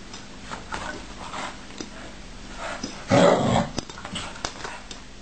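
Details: A dog that wants his bed back gives one short, harsh, broad bark-growl in the middle, with soft scattered thumps and faint noises before and after in a quiet room.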